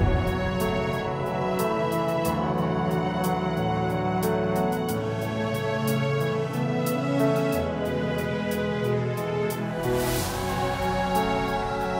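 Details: Soft, slow instrumental music plays throughout, with sustained tones and no animal sounds. Nothing else stands out above the music.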